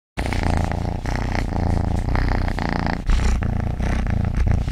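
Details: A domestic cat (Felis catus) purrs with a steady, low, rumbling vibration that continues without a break.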